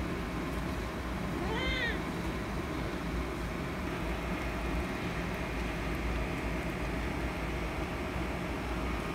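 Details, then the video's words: Kitten angry because another cat is annoying it: one short arched meow, rising then falling, near the two-second mark, then silence from the animal over a steady low rumbling background hum. "Kitten Angry Because Cat Is Annoying"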